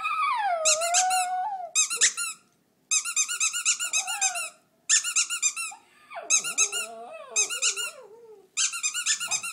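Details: Shih Tzu named Frank Sinatra 'singing' along to a squeaking toy indoors in a small room: wavering, sliding howls that fall and rise in pitch, mixed with bursts of sharp, rapidly repeated high squeaks from the toy.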